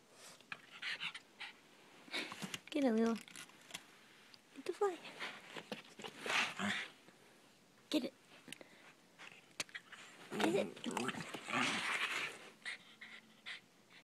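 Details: A Cairn Terrier "talking" to a fly makes wavering, yodel-like whines and grumbling vocalizations, with a person speaking nearby.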